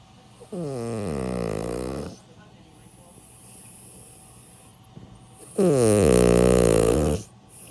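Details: Two loud, droning snores from Milk, an elderly 16-year-old pet dog fast asleep. Each rough, vibrating inhalation lasts about one and a half seconds, separated by a few seconds of faint breathing in a quiet room.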